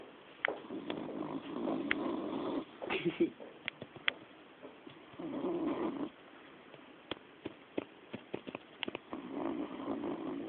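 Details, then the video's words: Sleeping female dog snoring indoors, raspy broad breaths in long swells every few seconds, with scattered clicks and small knocks between them. "Connie roncando"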